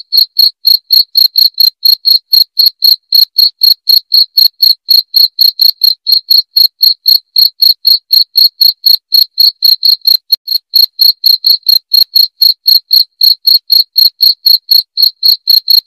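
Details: Cricket chirping, offered as a sound to drive away rats: loud, clear high-pitched pulses repeated about four times a second in a steady, unbroken train, with no other sounds.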